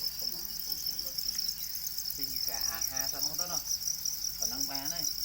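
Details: Domesticated para crickets, also called black crickets, keep up a dense, continuous, very high shrill trill at an unchanging pitch. People talk in Khmer underneath.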